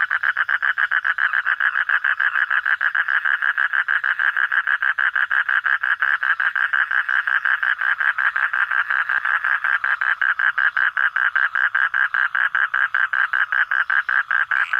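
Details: Frog at night giving a long, unbroken run of fast, closely spaced pulses, a steady buzzy rattle that hardly changes in pitch across the whole stretch.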